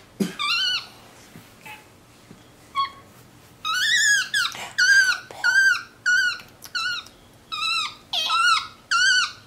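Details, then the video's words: A pet male capuchin monkey, MonkeyBoo, chats from his leather couch indoors in a steady series of piercing, harmonic squeaks, roughly one every half second to second. There is little other sound. "Vocal Monkey On the Couch!"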